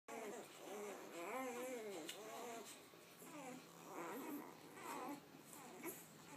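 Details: Two-day-old puppies from Maiah's litter, three fawn and three brindle, feeding indoors; high thin squeaks and whimpers arch up and down in quick overlapping bursts, several pups calling at once in a small room.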